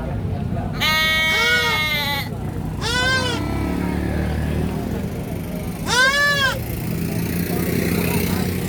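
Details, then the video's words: Baby goat crying out in three loud, nasal bleats, the first long and wavering and the others shorter and rising then falling. Steady low-pitched background noise throughout. "GOAT SCREAMING BABY GOAT"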